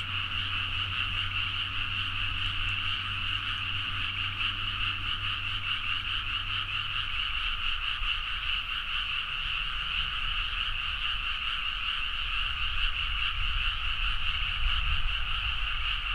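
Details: Frogs in a loud midnight chorus in rice paddies at Nagaoka, Niigata, Japan, captured on a Zoom H4n: a dense, unbroken trilling wall of overlapping croaks with two steady bright bands, and a low steady hum fading out after seven seconds.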